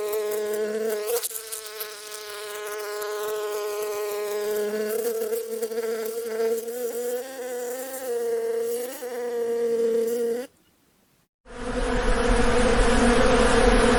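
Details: Bee buzzing in nature: a close, steady, low humming drone with rich overtones that wavers slightly in pitch for about ten seconds, cuts to a second of silence, then returns as a louder, rougher, noisier buzz.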